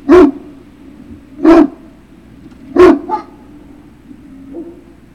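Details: Barking from a Great Dane puppy at Puppy Hill, 3 June 2019, afternoon: three loud, punchy barks roughly every second and a half, then a shorter higher yelp and a faint trailing whimper, against a low background hum.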